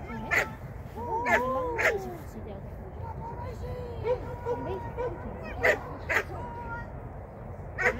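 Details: Sian, a Shetland Sheepdog, during a 2023 first training lesson: sharp, loud barks near the start and again later, mixed with wavering whine-like tones and people talking.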